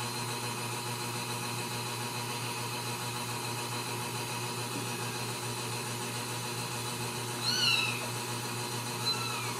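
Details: Ragdoll kittens raised in a home cattery in central Kansas, no cages: two short, high kitten meows near the end, the first rising then falling, the second softer, over a constant low electrical hum.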